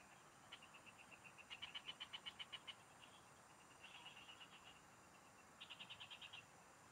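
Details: Several frogs singing in rural fields, recorded during a fishing outing: bursts of rapid, evenly pulsed high trills, each lasting about a second with brief pauses between, overlapping one another against a steady faint background hiss.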